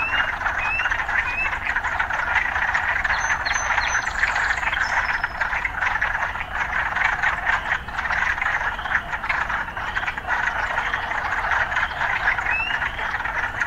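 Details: A thick, unbroken frog chorus in an urban setting, with rattling pulsed croaks throughout and scattered short upward-sweeping chirps, plus a few faint high tones midway.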